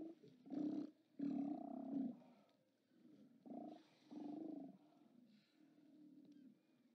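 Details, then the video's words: Steller sea lions at their haulout on 29 October 2017, heard through a live camera: a few long, hoarse, rumbling roars of about a second each, fading to low groaning calls at the end. "Steller Sea Lions"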